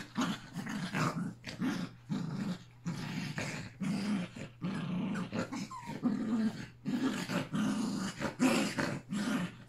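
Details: Yorkshire Terrier puppies, three littermates with Pepper and their mother, playing together one last time on August 29: dense, rasping growls in close bursts, nearly continuous, with brief pauses between scuffles.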